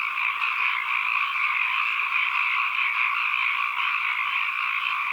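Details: Frogs calling, recorded as an ambient environmental sound: a dense, steady chorus of many overlapping rapid trilling croaks forming an unbroken buzzy wall of sound, with no pauses and no other sounds.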